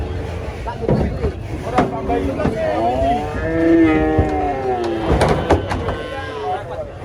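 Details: Female giant cow rampaging during loading under a reputedly haunted tree: a strained, wavering moo lasting about three seconds amid sharp knocks, thuds and clattering from the loading.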